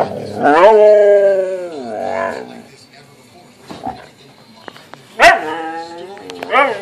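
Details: Siberian Husky playing with its owner; long drawn-out howling vocalisation sliding downward, followed by shorter yelping, talking calls and a sharp clap-like noise, with some human voice.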